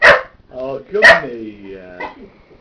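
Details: A nearly one-year-old Cocker Spaniel barks while playing with a person's feet and slippers: two sharp, loud barks about a second apart, with a softer voiced, talking-like sound between and after them.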